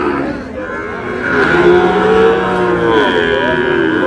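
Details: Sahiwal bull at a crowded Bangladeshi cattle market in Brahmanbaria, 27 February 2026, lowing in a long, wavering, tonal moo that swells and bends over about two seconds against background voices.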